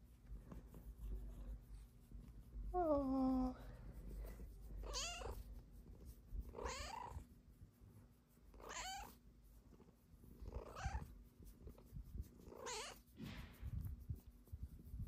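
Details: A Snow Lynx Bengal cat, a female, lies belly-up on a love sack and gives a single drawn-out, falling meow, asking for attention and belly rubs.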